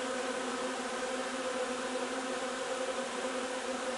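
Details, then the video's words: A foraging honey bee colony on linden nectar, recorded 3 June, gives an unbroken, level buzzing hum with steady layered tones from start to end. "alveare api durante la raccolta del nettare miele di tiglio 3 giugno"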